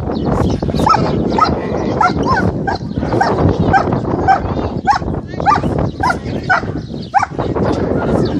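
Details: A German Shepherd, a beginner in aggression training, barks rapidly and harshly, a quick string of loud, rough aggressive barks.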